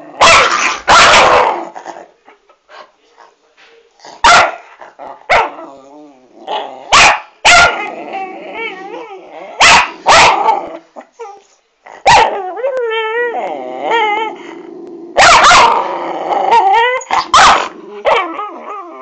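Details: Two pet dogs, Pixie and Rolo, indoors, squabbling over a treat Rolo won't eat but won't let Pixie have; loud snapping barks and yips alternate with wavering, rising and falling growls and whines.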